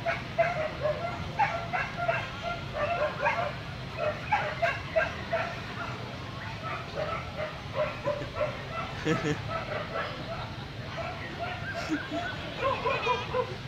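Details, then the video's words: At a Vietnamese dog show, a Corgi yaps in clipped, high barks that come in loose runs, with indoor crowd murmur and speech continuing behind it throughout. "Corgi - vietnam dogshow"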